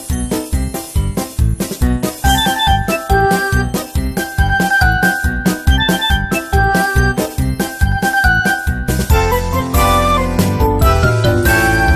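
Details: Bright, bouncy music with jingling bells and a steady beat fills the whole stretch, with no animal sounds audible.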